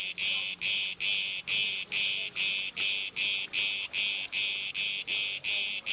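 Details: Cicada camouflaged on an olive tree in Elounda, Crete, Greece, making noise: loud, harsh buzzing pulses repeated steadily about two or three times per second, each burst a dense high-pitched rasp with short gaps between.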